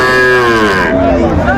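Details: Sahiwal bull calf at a cattle market in Faridpur, Bangladesh, 5 January 2025; one short, loud, harmonic moo that slides downward, with people talking nearby.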